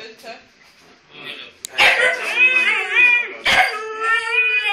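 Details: Two Huskies vocalise: after a quiet start with soft sounds, loud, drawn-out, wavering howl-like yowls with rich harmonics break in, rising and falling in pitch, in two long bursts separated by a brief sharp break.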